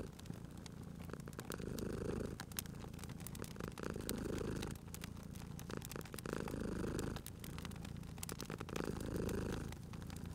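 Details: Sleeping domestic cat purring beside a crackling fireplace in a cozy spring setting; steady low rumbling purr rising and falling in long breath cycles about every two and a half seconds, with sharp pops and crackles of burning wood throughout.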